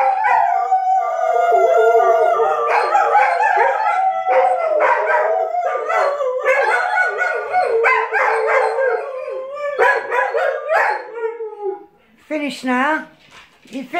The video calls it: Weimaraners howling like Wolves